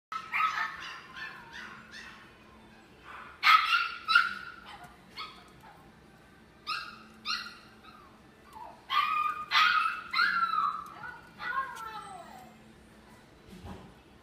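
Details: A dog at a pet shop gives bursts of short, high yapping barks in clusters across the clip, with a few whining yelps that fall in pitch near the end. Low room hum continues underneath.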